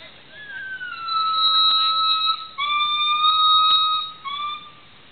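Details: Black male gibbon calling alone, the highest-voiced of a pair whose buff female stays silent here; long pure whistled notes held steady, some sliding up at the start, in two main sustained phrases with short breaks between them.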